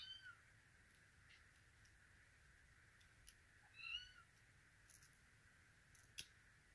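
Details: Russian Blue kittens, including a female born 6 September 2023, in Vancouver, give a few faint, high, thin mews over a steady background hiss.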